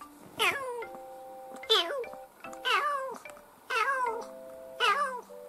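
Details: Kitten in its first ten months, recorded 2018–2019, meowing five times at about one-second intervals, each call bright and harmonic with a quick rise and falling tail, over quiet held musical notes.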